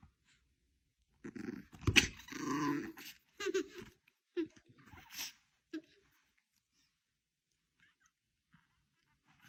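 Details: Angry Chihuahua giving a cluster of short, harsh, rough barks and snarls over about five seconds, bursts spaced unevenly and tapering to quieter isolated yaps, then near silence.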